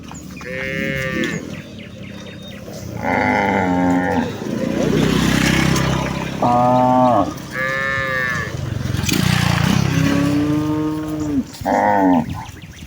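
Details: Cattle herd of cows followed by calves heading back to the farm barn in a village: a series of about seven moos, some short and high, others long and lower, overlapping one another, with hoof shuffling and low rumbling between calls.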